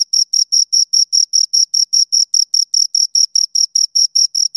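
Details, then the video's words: Rapid series of shrill chirps from two crickets, each short pulse clearly separated, roughly two or three per second, with no other noise. "Two Crickets Chirp Sounds"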